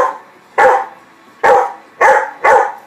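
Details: Old English Sheepdog with her puppies outdoors in the sun in Texas during puppy socialization, barking as though calling her young; four loud, sharp barks, the last three coming about half a second apart.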